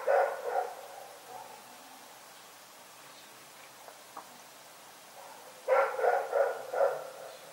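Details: Night barking from Rex, a dog: two barks at the start, several seconds of near silence with a few soft clicks, then a closing run of four sharp barks.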